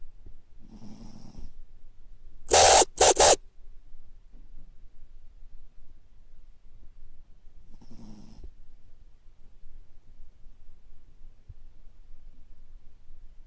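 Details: Toy Poodle asleep on its back with eyes rolled back to the whites, snoring: two rough, humming breaths about seven seconds apart, separated by a brief loud clattering burst, in a quiet room.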